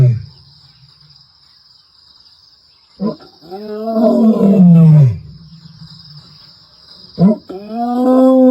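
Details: Lioness of the Ntsevu pride roaring, recorded 29 March 2024: after a quiet stretch, a short grunt leads into a long, deep, moaning roar that falls in pitch, then another grunt and roar begins, over a thin steady high whine.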